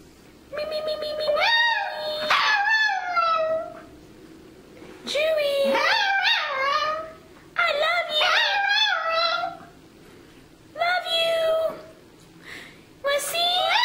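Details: Chihuahua singing and said to voice "I love you": a series of short wavering howls and yowls, rising then falling in pitch, in bursts of one to two seconds separated by pauses, with quieter speech between.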